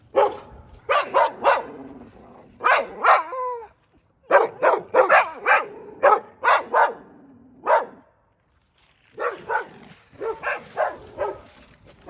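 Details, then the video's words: A neighbor's dog, recorded close up on 14 January 2024, barks in clusters of three to five sharp barks, with a drawn-out whining note early on and short silences between bouts. "Neighbor's barking dog"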